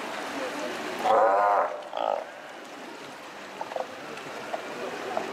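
A Steller sea lion gives a loud, wavering roar, then a shorter second one, over steady surf-like noise.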